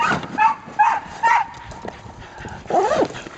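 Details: Samoyed sled dogs, a three-dog team on a training run in Minnesota in February, give short excited yelps spaced about half a second apart, then a longer wavering, rising-falling whine, as a musher calls out between cries.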